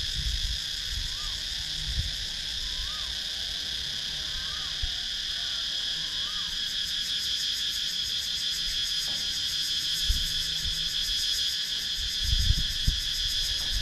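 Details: In Sakon Nakhon's wooded countryside, Thailand, cicadas keep up a continuous high buzzing chorus, recorded on a GoPro Hero 9, with a few faint rising-falling chirps from another caller early on and occasional low knocks.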